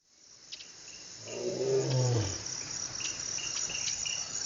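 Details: Wild lion in the African bushveld giving a single deep, low moaning grunt that swells and fades over about a second, over a steady background of chirping crickets.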